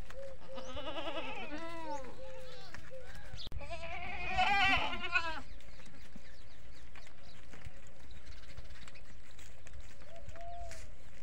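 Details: Goats and kids at a goat farm, local desi goats: several wavering, harmonic-rich bleats overlap in the first half, one louder burst near the middle, then quieter calls, with a low steady hum underneath.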